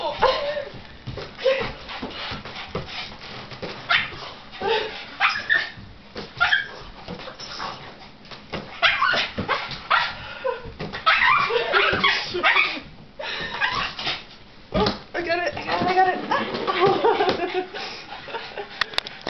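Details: Pet dog Shirley, frustrated at watching a balloon being played with and then joining the game, whines and yips in rapid bursts, high wavering whimpers broken by short barks, with thuds and a voice in the background.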